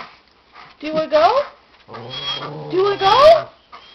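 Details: Papillon dog, female, aged five, yodeling while impatient for a walk: two bursts of warbling, upward-sliding whines separated by a gap, accompanied by a person speaking quietly indoors.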